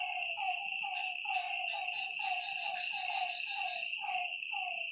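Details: Lakeside frogs croaking at night with brief, downward-bending notes in quick succession, partly overlapping, beneath a persistent shrill drone of night insects.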